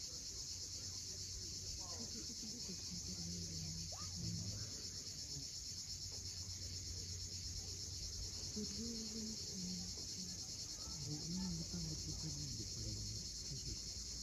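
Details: Sunset on the Crimean coast at Cape Fiolent, where cicadas keep up a continuous shrill hiss-like drone throughout, over scattered low-pitched tonal sounds.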